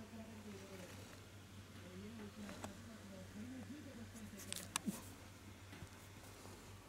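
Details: Wobbly, looping whimpers from the Shiba Inu puppy Kutsu at the age when it first stood, walked and opened its eyes and ears; repeated wavy cries, a few faint knocks, and a steady background hum.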